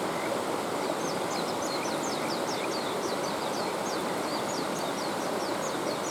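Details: Kajika frogs calling beside a mountain stream, a continuous run of short, high, chirping notes repeated several times a second over the steady rushing hiss of flowing water.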